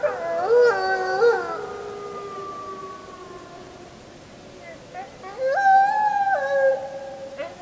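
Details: Full-moon wolf howling recorded 31 July 2015 with a JVC Everio GZ EX215: two bursts of stacked howls with stepped pitch jumps, separated by a quieter stretch where a single fading tone trails off.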